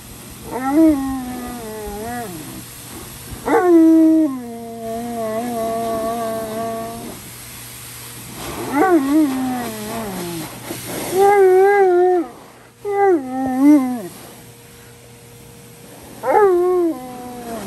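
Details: Giant Alaskan Malamute, unhappy and crying like a baby, with long drawn-out wavering whines and howl-like cries, some sliding downward, in repeated bouts about every two to three seconds, with quiet pauses between.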